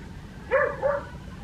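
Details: Two short, bright barks in quick succession from Adriano, a West Highland White Terrier out in a village garden in Hoat Wala, South Punjab, Pakistan, on a winter morning.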